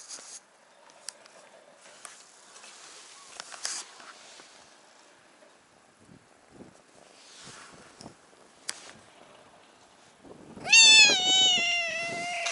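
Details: A stray brown tabby cat on a cat island gives one loud, drawn-out meow, seemingly asking to sit on a person's knee, after quiet outdoor rustling and footsteps.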